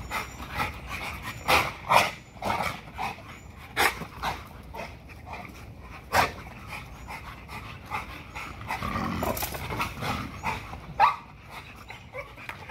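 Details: An XL American Bully pitbull works out on a spring pole, breathing in strong, rasping pants with several louder huffs spaced a second or two apart, plus scraping and thuds from the workout.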